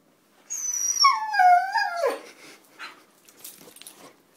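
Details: Basenji mix dog giving a single high whining note that glides downward over about one and a half seconds and ends in a short drop, followed by faint rustling.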